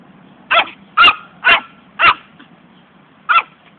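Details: Pet poodle at home excitedly chasing a ball: five sharp, high barks, four in quick succession about half a second apart, then a pause and one more, over a faint low background hum.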